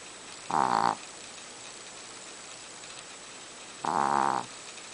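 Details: Sleeping Chihuahua in deep slumber giving two short, rough, tonal snores about half a second long, spaced some three seconds apart, over a quiet hissing background.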